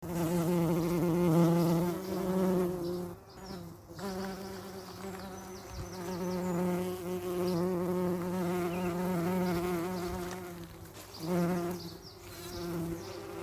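Bees buzzing in a steady, low, droning hum that swells and fades as they move.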